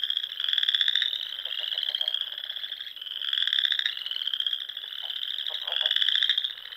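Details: Frogs singing in spring in the Sandhills of Nebraska, among rolling dunes with small lakes and ponds at dusk: a dense chorus of high, pulsing trills layered together, swelling and fading in roughly two-second waves, with lower clicking croaks underneath.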